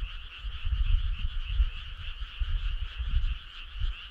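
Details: Frogs calling together on a summer night, making a continuous buzzing, trilled hum that never pauses. Deep, uneven low rumbles pulse beneath the chorus throughout.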